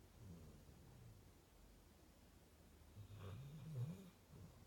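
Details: Pet female Rottweiler snoring indoors: low, rough rumbling breaths, a louder snort-like snore with a brief gurgling rise near the end, otherwise soft quiet breathing.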